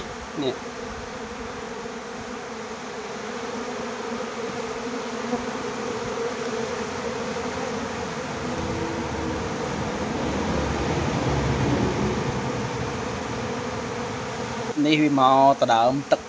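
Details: A crowd of honey bees fighting over water in the rainy season, drawing it up to feed their young, makes a dense, steady low hum that swells slightly near the middle; a man's voice speaks briefly at the start and end.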